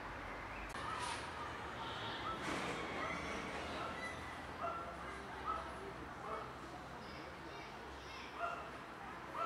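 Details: A cat with a broken leg, still affectionate, gives short tonal meows that rise slightly, repeated about once a second, against a steady background hiss with a few faint clicks.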